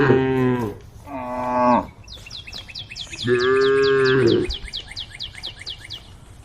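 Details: A group of tame cows calling to the herd with three mooing calls, two short and one longer and steadier. A bird chirps rapidly and repeatedly in the background.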